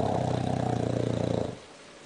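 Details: A bulldog snores one low, rattling breath that lasts about a second and a half. It is a fast, buzzy flutter that fades into quiet.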